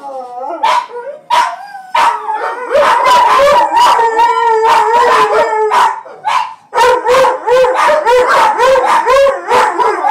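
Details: Johnny Rotten, a Miniature Pinscher/Chihuahua mix pet, stirred up by sirens in Grand Theft Auto: wavering howls and yips sliding up and down, short bursts at first, then a nearly continuous run of yowling notes with a few breaks.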